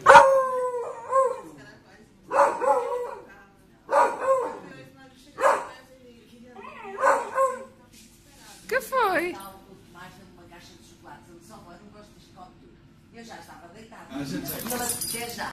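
A beagle puppy gives a series of short, wavering, tonal howls, each with a rising and falling pitch.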